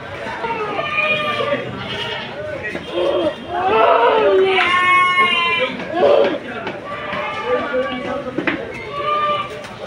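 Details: Several goats bleating at the crowded Sagorika goat market, a Saturday in 2024; harsh, quavering bleats overlap one another every second or two, mixed with loud voices and market bustle.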